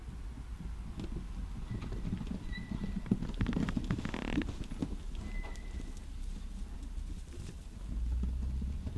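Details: Horses going wild in a stable: dull hoof thuds and scuffling fill the stall, with a brief rough burst partway through, a few faint thin tones, and a steady low rumble underneath.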